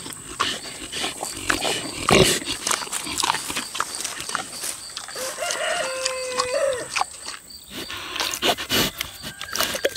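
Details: A six-year-old boar pig eats juicy tomatoes, savoring the produce: sharp wet smacking clicks scattered throughout, with a brief tonal, harmonic note in the middle and a steady faint high hiss behind.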